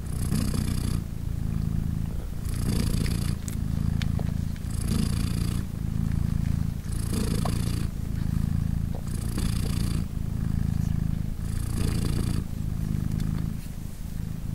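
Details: Sustained purring from Polina, a British Shorthair mother cat hugging and nursing three three-day-old kittens; a low buzzing rumble with regular breathy surges, about seven even cycles, each near two seconds long.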